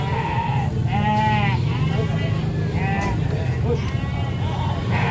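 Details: Several wavering sheep bleats at a busy market, heard near the start, the middle and the end, with people talking and a constant low vehicle hum underneath.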